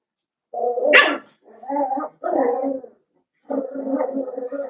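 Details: A litter of five blenheim Cavalier King Charles Spaniel puppies in a home puppy pen. One sharp yelp is followed by three drawn-out, tonal whining howls, each lasting about a second.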